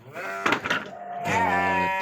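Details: Garut sheep in a breeder's pen in Indonesia: a long wavering harmonic bleat rising then held, with a short break near the middle, and a man talking in the background.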